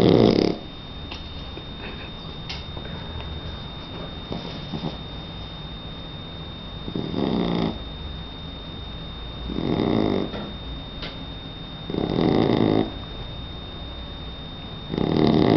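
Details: Three-month-old Shar Pei puppy sleeping and snoring: loud rasping snores in bursts lasting about a second, spaced two to three seconds apart, with quieter breathing between them and a steady faint hum in the background.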